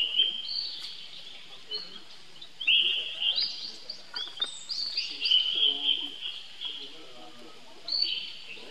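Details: Little monkey calling his big brother Rainbow for help; repeated high, wavering squeals in uneven bursts roughly every few seconds, some stretched and trembling, with light background rustle and soft low sounds.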